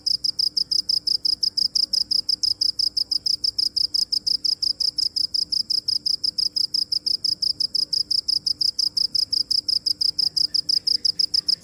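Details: Cricket calling in a steady stream of shrill, closely spaced chirps, loud and regular throughout, with a quiet low hum behind.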